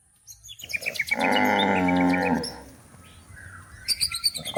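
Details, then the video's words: One sustained, steady moo lasting over a second from a cow looking for food in the forest while being driven to the livestock pen. Scattered bird chirps come before and after it. "the sound of cows looking for food in the forest"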